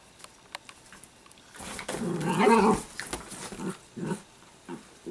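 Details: A rough, grumbling growl from Sparkle, an Italian greyhound puppy, swells for about a second, then trails into a few shorter throaty grunts.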